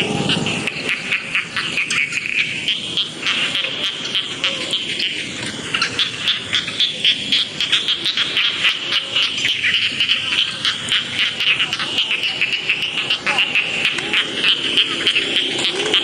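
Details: A chorus of rice field frogs, many voices together, producing continuous shrill, pulsing croaks that repeat rapidly and evenly for the whole stretch, with faint low rumbling in the background.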